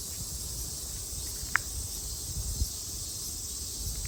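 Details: Cicadas singing in Japan during summer 2022: a constant high, hissing drone, broken by a couple of short sharp ticks and a soft thump, over low background noise.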